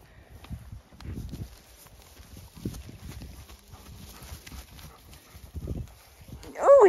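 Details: Horses released into a fresh paddock on a regenerative farm in County Kilkenny, Ireland, happy and excited as they go; dull, low thuds of hooves come in irregular bursts, with faint rustling and a human voice exclaiming at the end.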